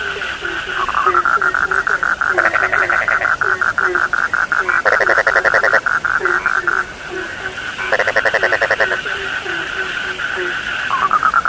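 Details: Frog chorus of low, falling croaks repeated several times a second, with bursts of fast rattling trills coming and going and a rising, whistled sweep at the start and end.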